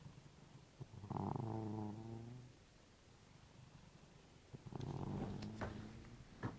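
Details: Snoring housecat heard at bedtime from right beside the listener. Deep, buzzy, harmonic rasps of about a second and a half swell and fade twice, with a soft hiss in the pause between them.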